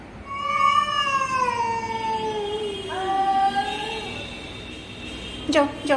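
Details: Pet cat Chhotu facing off with an intruding stranger cat: a long wail slowly dropping in pitch, a second shorter howl, then a sudden sharp noise near the end.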